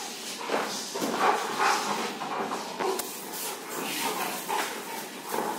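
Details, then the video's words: Rottweiler named Bolt play-fighting with a person: short, rough, tonal dog vocalizations come in bursts over steady hiss, with scuffling and a human voice mixed in. "Fighting with Rottweiler"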